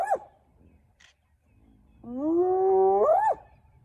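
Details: Spotted hyena calling during a clan's mobbing of the young Nkuhuma male lion, early morning, Elephant Plains, northern Sabi Sands, South Africa; a short yelp, then a loud sustained harmonic tone that climbs slightly and ends in a sharp upward sweep.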